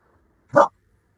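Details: A fearful rescue dog barks once at the trainer, who is acting as a guest, while the owner works to correct the barking; a single short, clipped bark in an otherwise quiet room.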